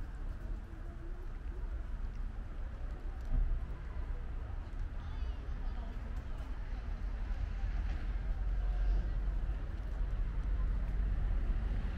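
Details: Steady low rumble, like traffic or wind, fills the recording, with muffled voices now and then. No animal call stands out.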